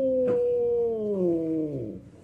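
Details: An unspayed female domestic cat in heat caterwauls, a long, moaning yowl that slowly slides downward in pitch, a mating call to attract males.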